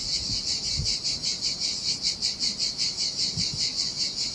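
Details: High, shimmering cicada buzz throbbing at a regular pace of about two and a half pulses per second on a lonely Sardinian beach in summer heat, with occasional faint low splashes.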